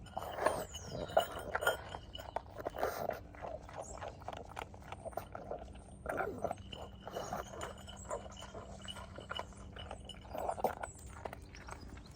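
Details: A pug eats kibble outdoors at lunchtime on a freezing, frosty day in London, chewing noisily with wet smacking, crunching and snuffling bursts.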